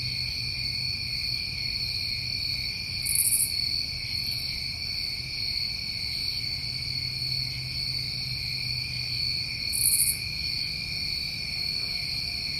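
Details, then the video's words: Continuous high-pitched trilling of crickets on a New England summer evening, held level throughout, broken by two short, sharper buzzy bursts about seven seconds apart over a soft low hum. "Over 1 Hour Of Tinnitus Masking With Crickets"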